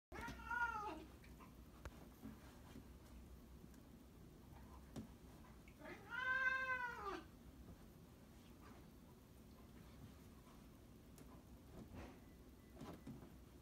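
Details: A one-year-old Maine Coon cat gives two drawn-out, arching meows several seconds apart in a quiet room.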